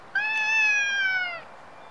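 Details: Loud, sustained meow of over a second from a stray cat in Japan, recorded on a Nikon D5300. The voice is bright and strongly harmonic, holding level before sliding slightly downward at the close.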